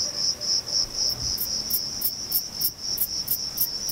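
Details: A male Thyreonotus corsicus bush-cricket, stridulating by rubbing its reduced wings, sings a high, sharp chirp about four times a second in an orange orchard at Vilella, Sueca, in early August.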